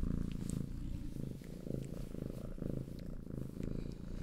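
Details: Domestic cats purr steadily, a low continuous rumble pulsing with each breath.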